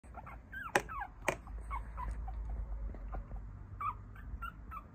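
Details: Papillon puppy, a male from a litter of four siblings growing up with its mother, giving scattered high whimpers and short yips over a low steady hum.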